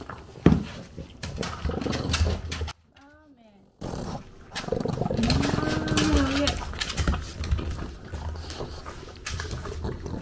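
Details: A French bulldog in Japan eats breakfast, chewing noisily with wet, irregular crunching clicks over a low steady hum.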